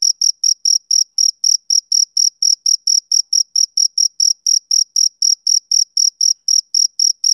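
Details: A male cricket calls on a summer evening with rapid, uniform high chirps, around four each second, continuing without pause; no background noise.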